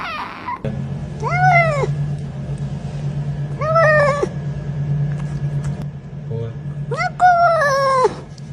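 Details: Domestic cat giving three drawn-out, arched meows, each rising then falling in pitch, about every three seconds, over a steady low hum.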